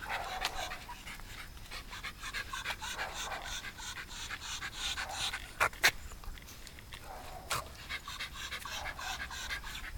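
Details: Shiba Inu dog at home during a pet sitter's home visit in Shizuoka, Japan, on 30 September 2018; quick, breathy rhythmic panting runs throughout, with a few sharp clicks or knocks midway.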